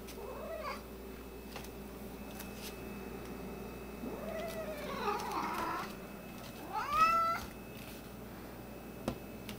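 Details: Angry domestic cat indoors, the white one said to have an attitude problem. A low drawn-out moaning yowl, then a rough, noisy growl, then a sharp rising meow near seven seconds, over a constant low hum.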